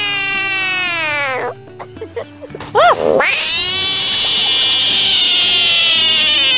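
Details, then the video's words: Screaming frog said to be freaking out: a sustained, piercing wail that drops away, a quiet gap with soft scuffling, a couple of short rising-falling yelps, then one long, loud, unbroken scream running to the end. "Frogs love Throwing Tantrums !"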